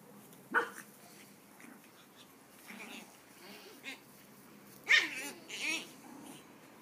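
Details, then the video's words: Puppies playing in a yard: scattered short yips and squeaky barks, two louder high-pitched yelps near the end, with quiet gaps between. "Puppies playing in the yard"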